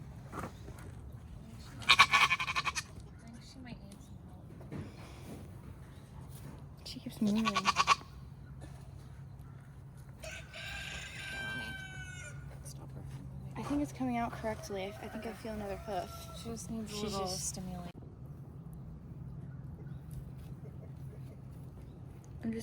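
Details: Nigerian Dwarf dairy goat doe Maggie in labour, giving birth to twins for the first time, on a Northern California farm; wavering, harmonic bleats come mid-recording after two sharp bursts, with human handling noises and murmured voices throughout.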